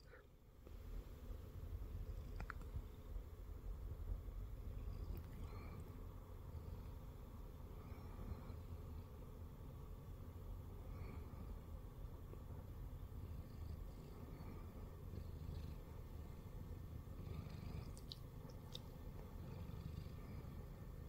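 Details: Shamue, a Siamese cat, purring while lying on a person's belly indoors; a steady low rumbling pulse continues throughout, with a few faint soft clicks and rustles above it.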